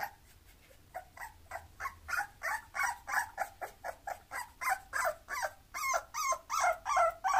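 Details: Bulloxer mixed-breed dog whimpering in quick, steady succession, roughly three short yelping whines each second. Each one is nasal and bends up then down, growing louder toward the end over a low background hum.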